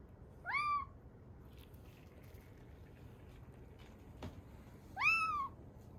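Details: Kitten about three to seven weeks old, rescued in Osaka, giving two plaintive rising-falling mews several seconds apart, the second drawn out and slightly wavering, with a soft tap and background hiss between.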